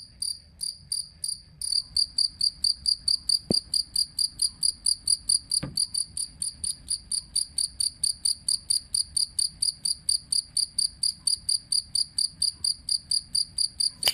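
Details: Jangkrik kalung cricket, a sound used for tutoring songbirds; loud high chirps in a long regular series, slightly faster pulses at the start, then a steady run of about two per second with a couple of soft clicks.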